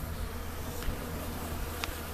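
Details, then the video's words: Western honey bee at the hive, March 11, 2015, holding its backside up and fanning its wings; a steady low hum runs throughout, with two brief clicks over a dense background buzz of the colony. "there's a bee right there see that bee see how it's holding its backside up and fanning its wings"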